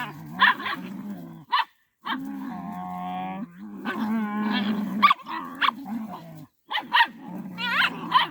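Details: Village dogs clash while a mother dog protects her puppy from attackers: long, rumbling growls rising into tense, wavering snarls, punctuated by abrupt barks and yelps, with a few brief silent gaps.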